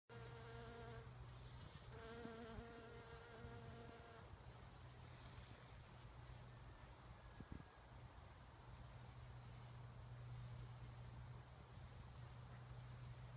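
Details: Bumblebee (Bombus ignitus) feeding on nectar inside wild rose flowers: a low, droning wing buzz with rich overtones, loudest in the first four seconds, over a steady low hum and faint background hiss.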